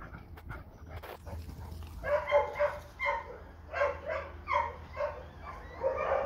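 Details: Lui, a rescued dog who wants another dog's toy; a string of short, pitched whining yelps and soft barks repeated roughly twice a second, after a stretch of low background noise.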